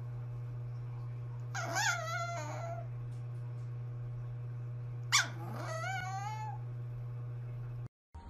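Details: Micro poodle puppies: two whining, yelping whimpers with rich harmonics that bend downward, about three and a half seconds apart. A steady low hum runs underneath throughout.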